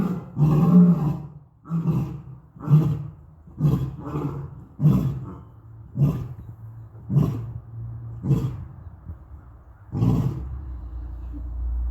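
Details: Lions at Topeka Zoo give a deep series of loud grunting roars, the pulses coming about once a second.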